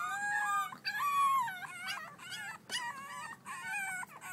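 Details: Six-week-old French Bulldog puppies at play, giving high whiny whimpers and yelps with wavering, sliding pitch, several overlapping cries in quick bursts with brief gaps between them.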